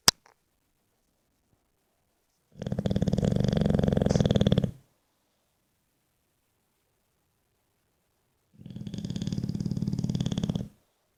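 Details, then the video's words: Sleeping English Bulldog snoring: two loud, raspy, vibrating snores about two seconds long, roughly six seconds apart, with quiet pauses in between. "Bulldog inglés, roncando"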